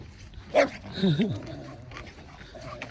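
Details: A dog during a neighborhood walk where Bokdol-i meets a gang of five local dogs. One sharp bark is followed by a short, wavering whine that rises and falls, with quiet background hum.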